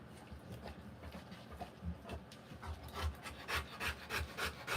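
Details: Rottweiler in labour giving birth to puppies, breathing in fast rasping pants of about three per second, steady and unbroken, with soft rustling beneath.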